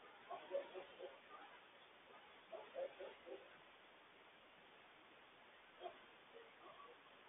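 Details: Wild coyotes yipping to warn their family about a large loose stray dog nearby: distant bursts of short, high, quavering yips in clusters near the start, middle and end, over a steady outdoor hiss.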